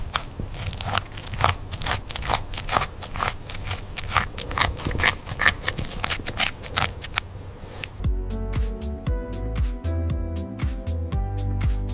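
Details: Rhythmic, percussive music with sharp clicking beats gives way after eight seconds to plucked, piano-like notes, with no animal voice anywhere.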